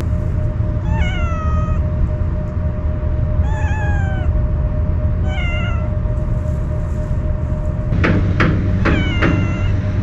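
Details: Stray cat that usually flees from people, fed Kalkan cat food and meowing warily while eating: four clear, slightly falling meows spaced a few seconds apart, with sharp knocking sounds near the end over steady low background noise.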